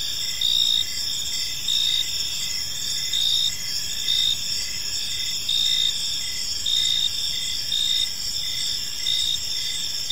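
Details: Evening chorus of crickets in a quiet park: high, continuous trilling with a louder chirp pulse recurring about every second, layered callers forming a steady insect wall.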